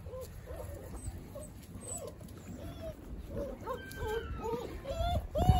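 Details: East European Shepherd puppies with their gentle, caring father dog: a steady run of short, high, rising-and-falling whimpers and squeaks, several overlapping, growing louder toward the end over a low background rumble.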